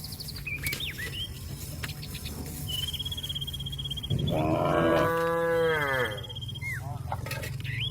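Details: One drawn-out moo lasting about two seconds, rich and nasal, rising then tapering, from cattle summoning companions home to the pen, over a steady low hum with birds whistling and chirping nearby.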